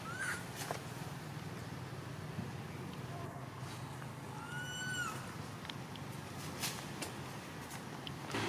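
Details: Young monkey crying, the mother not caring for it; two high, tonal, slightly falling cries with bright harmonics, a faint one at the start and a clearer one midway, over a steady low hum and scattered clicks.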